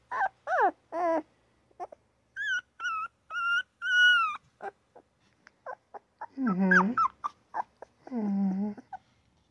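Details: Newborn puppy with a yawn and little baby grunt squeaks: wavering whines, then a row of clear high squeaks, followed by two low rough grunting cries separated by brief yips.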